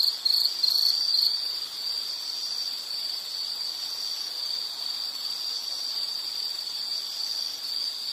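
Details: High, thin insect trill holding one steady pitch, louder and more broken in the first second and a half, then a smooth continuous buzz, with no other sounds.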